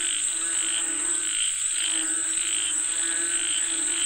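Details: Croaking frogs call for rain in regular pulsed bursts, a short gap near the middle, backed by an unbroken high-pitched insect buzz.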